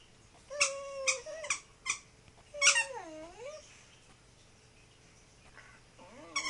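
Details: Tibetan Terrier named Lamleh talking to his toy indoors: a quick run of short, high squeaky yelps, then a long wavering whine that dips and rises, and another whine starting at the end.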